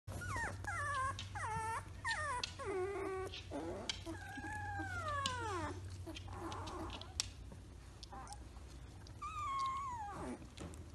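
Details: Three-week-old Samoyed puppies, now walking and playing, whimpering and whining in a series of high, harmonic-rich calls: short rising-falling yelps early on, then longer arched whines, one drawn-out cry near the end, over a low steady hum.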